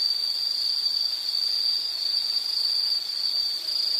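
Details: Steady high insect trill from a nature soundscape, an even continuous whirring tone held throughout with brief small dips in volume.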